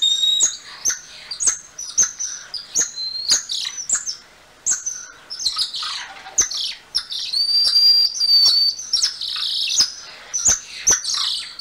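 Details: Golden lion tamarin (Leontopithecus rosalia), a family-group primate of Brazil's south-eastern rainforests, giving high, birdlike chirps and thin whistles punctuated by sharp clicks.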